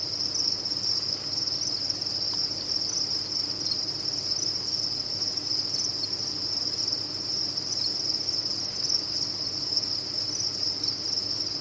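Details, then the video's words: Crickets kept on a cricket farm make a dense, unbroken chorus, a steady shrill trill high in pitch with no pauses, over a faint low hum. "Sound of a Cricket Farm"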